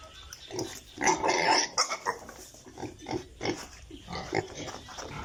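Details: Farm piglets: a loud, harsh squeal burst early on, then choppy grunts and squeaks coming in rapid uneven pulses, several animals calling over one another.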